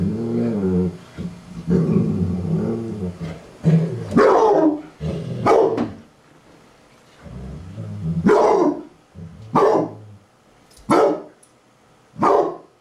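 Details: Basset Hounds play fighting: low rumbling growls with wavering tones in the first seconds, then a series of sharp barks spaced about every one to two seconds.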